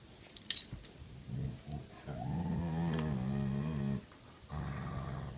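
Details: Belgian Malinois mix and Karelian Bear Dog mix, one grumpy, one playful; a sustained low growl rising into a long harmonic grumble for about two seconds, then a softer growl after a pause, indoors.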